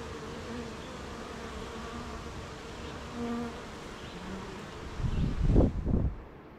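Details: Honey bees humming at a beehive on a rainy morning, surrounded by gardens, farms and fields; steady low droning buzz with layered tones, then a few heavy thumps near the end.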